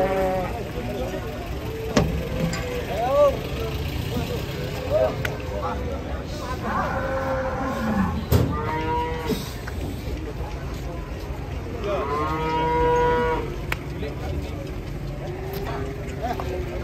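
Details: A large, angry cow unloaded from a truck moos several times: short rising bellows, then longer wavering ones around 7 and 12 seconds. Men shout and call out throughout, over a running engine.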